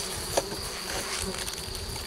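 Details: Honey bees at a drone-laying hive under rescue, 3 May 2021. A steady, dense buzzing hum fills the clip, with a brief sharp click near the start and a thin constant high tone running throughout.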